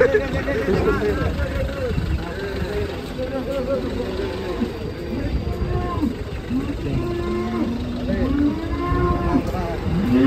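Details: Black grandong cattle in Indonesia, described as raging as they are unloaded from a truck: several overlapping arched moos rise and fall through the clip, with low rumbling noise and faint background music.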